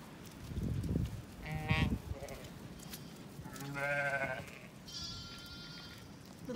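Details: Zwartbles lambs and ewes released into a sheltered orchard on a County Kilkenny farm in Ireland during mild, windy weather. Two wavering, nasal bleats rise over gusty wind rumble, followed by thin higher tones and a woman's voice.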